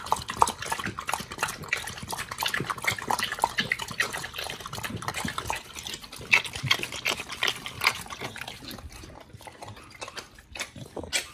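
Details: Two dogs, Oli and Nomy, eating raw meat on a prey-model raw diet, recorded for ASMR: dense wet crunching and tearing bites overlap continuously, with sharp clicks of teeth and slurping smacks throughout.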